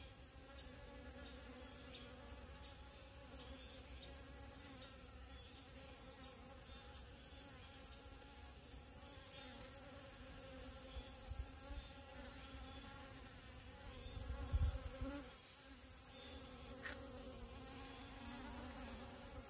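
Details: Honey bee among rose moss flowers, giving a steady low hum with layered overtones, under a constant high-pitched hiss in the background and a few soft knocks near the end.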